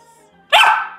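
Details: Female Siberian Samoyed in Canada barking once on the command to speak: a single sharp, bright bark with rich harmonics following faint background music, with praise spoken just before.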